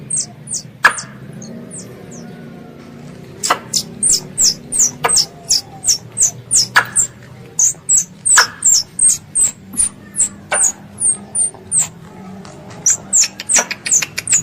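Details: Squirrel, called a pest, calling to its mother: after a near-silent start with one click, a long, rapid train of high, sharply descending chirps runs steadily, interspersed with crisp broadband clicks and a faint low hum.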